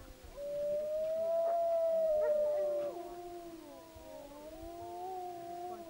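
Wolves howl in long, smooth, mournful notes, with several voices overlapping in a wavering chorus.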